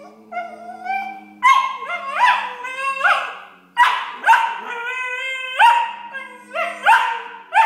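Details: Two six-month-old Tibetan Terrier puppies, a male and a female, squabbling indoors as one complains and the other objects: high, harmonic whines and yelping cries sliding up and down, in overlapping bursts of roughly half a second.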